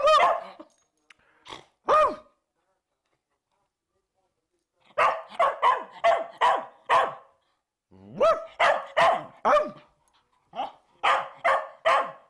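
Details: One-year-old Bedlington Terrier barking: sharp, high barks come in bursts, two early, then a rapid run of about six, a pause, and another volley of around eight, with silent gaps between.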